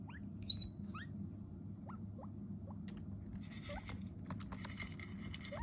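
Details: Skinny guinea pig demanding food: faint short rising squeaks, singly and in quick pairs, scattered over a few seconds, followed by clicking and rustling noises over a low steady hum.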